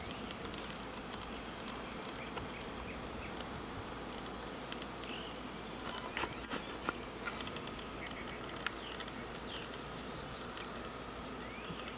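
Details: Honey bee colony swarming around a huge old hollowed oak tree in a yard, flying in and out as it settles there: a steady, dense buzzing drone throughout, with faint high chirps and a few sharp clicks above.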